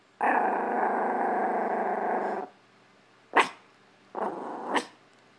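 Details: A Chihuahua in a living room, reacting to a hamper of clothes, growls steadily for two seconds, then lets out a few sharp, high barks.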